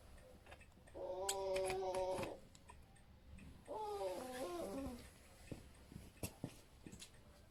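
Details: Crying for help, a sick, flea-covered female puppy of about two months, left alone under a bench at a village bus stop in cold rain, gives two stretched, quavering, harmonic whines, each over a second long, followed by faint clicks and knocks.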